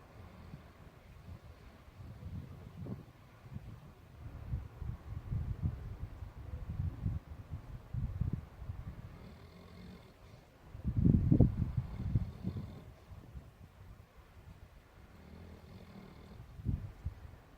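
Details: Newfoundland puppy named Oz snoring while dreaming, with soft low rumbling breaths rising and falling in uneven bursts and a louder, rougher snore near the middle.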